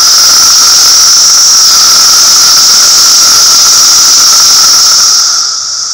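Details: Cicadas calling in a loud, unbroken high buzzing drone with a strong shrill band and a lower hum beneath, holding steady for about five seconds before suddenly dropping away near the end.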